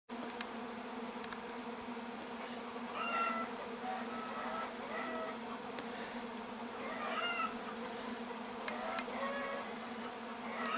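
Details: Bees recorded on 13 July 2015; a steady droning hum throughout, with brief higher whines rising and fading as individuals pass close.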